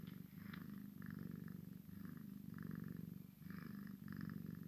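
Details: Purring from a Maine Coon x Sphynx kitten at play with its mother: a continuous low vibrating rumble rising and falling in roughly one-second breaths, with no other notable sounds.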